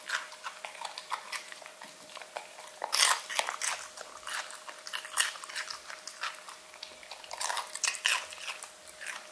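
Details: Luna, an English Cocker Spaniel living in Berlin, eating strawberries and celery indoors: dense, crunchy chewing and biting clicks come in quick irregular bursts, with louder snaps around the third and seventh seconds and a faint steady hum beneath.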